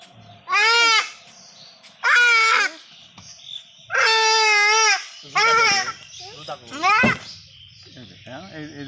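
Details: Castrated male goat suffering a urinary blockage from a stone: five loud, quavering, strongly harmonic bleats, each about half a second to a second long, spaced roughly every one to one and a half seconds, over faint background noise.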